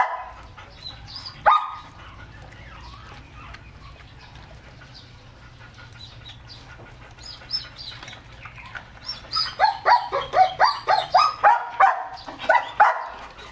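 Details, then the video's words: Male German Shepherd x Labrador mix, excited over three-quarters of a kilo of raw chicken. After a long quiet stretch with one sharp yelp, a fast run of high, yipping barks comes about four per second. "Lovely Exited German Shepherd x Labrador Mix (Male) Eating Raw Chicken 3/4 kilos"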